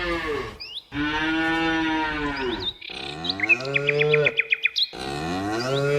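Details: Cows in nature mooing four times in quick succession, low resonant bellows that sag slightly in pitch toward their ends, with birds twittering behind them.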